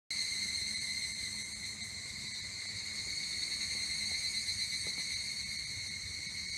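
A dense, high-pitched ring from evening cicadas fills the air, steady and bright with a soft rapid pulsing. A low background rumble sits beneath the chorus throughout.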